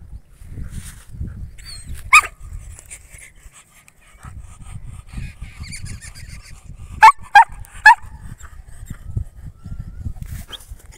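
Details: Male German Shepherd in Mirzapur, Uttar Pradesh, gives a single sharp bark, then after a pause a quick burst of three loud barks; low rumbling handling noise fills the gaps.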